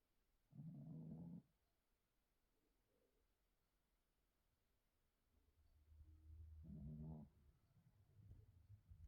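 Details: Recently spayed Chihuahua Kiki, aged 8, asleep at home; two brief snores about six seconds apart, separated by faint breathing and a low rumble near the end.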